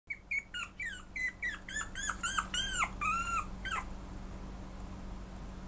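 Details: Pomeranian giving a quick series of about a dozen high, thin whining yips over four seconds. Each yip bends up and down in pitch. The calls stop, and a faint steady hum remains indoors.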